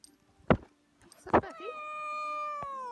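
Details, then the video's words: Black domestic cat on stairs, filmed in 2016, habitually yawning mid-meow: two short broadband bursts, then a long steady harmonic meow lasting about one and a half seconds that fades into a yawn, ending with a faint click. "Black Cat Meowing and Yawning on Stairs"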